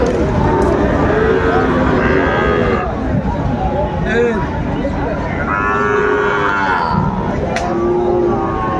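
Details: Sahiwal bull calves at a cattle market in Chattogram, Bangladesh, 26 September 2024: drawn-out, low mooing calls rise and fall several times, heard over a constant crowd murmur and bargaining voices.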